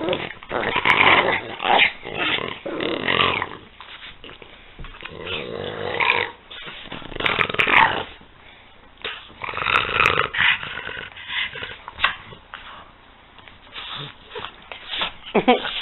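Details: Two French Bulldogs, Peanut and Daisy, playing together: rough, snorting growls and grunts come in irregular bursts, some loud and some soft, across about sixteen seconds, with brief quieter gaps between outbursts.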